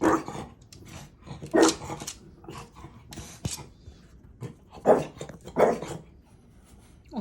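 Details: Maui, a French Bulldog, keeps barking at an empty spot as if at a ghost: scattered gruff barks and low growly sounds mixed with a sharp click and a human voice.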